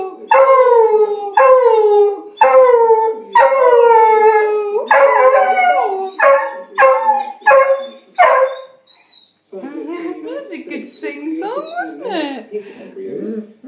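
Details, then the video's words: Hugo, a pet beagle, sings along to the Big Ben chimes on Radio 4's Six O'Clock News at home; a run of short falling howls, roughly one a second, then a quieter stretch of mixed yelps and wavering sounds. "Hugo the beagle singing to Big Ben chimes on BBC Six O'Clock News on Radio 4"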